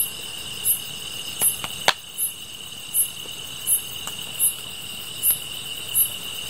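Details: Grass insects trill steadily at a high pitch beside a campfire, with sharp chirps repeating under a second apart.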